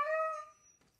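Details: Siberian Husky giving a single short, clear whine, steady in pitch for about half a second before fading out, in a quiet indoor setting.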